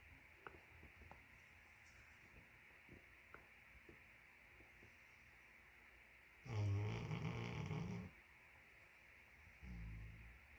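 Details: A sleeping Great Pyrenees dog snoring: long stretch of soft, low breathing noise, then one loud rasping snore lasting over a second near the middle, followed by a shorter low snore at the end.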